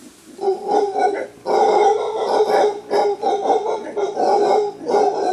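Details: Alpha male mantled howler monkey in a wild clan climbing through thick bamboo forest in Costa Rica, giving a warning roar: deep, rough, pulsing roars in long rhythmic bursts with short breaks, harsh and guttural throughout.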